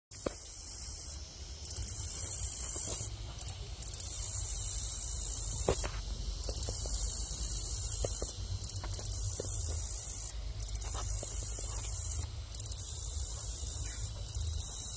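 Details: A green grasshopper sings a thin, very high-pitched buzz in long bursts separated by brief pauses.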